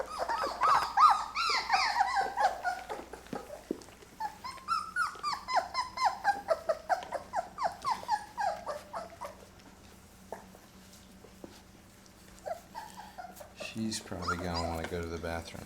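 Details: Labrador retriever puppies, Mocha's litter at day 23, eating puppy food for the first time indoors; high arched whimpers and squeals repeat rapidly, with a low steady hum beneath and a brief clatter near the end.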